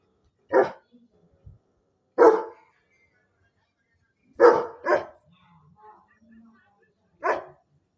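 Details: Double-coated German Shepherd giving loud, abrupt barks: five harsh barks at irregular intervals, two of them in quick succession, with faint background noises in the pauses.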